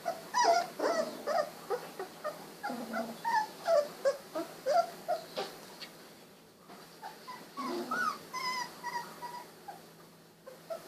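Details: Sixteen-day-old Golden Retriever puppies, eyes just opened, walking and wiggling about; steady series of squeaky whimpers and yelps about two and a half per second, a low growl-like grunt mixed in, then higher thin whines after a short lull.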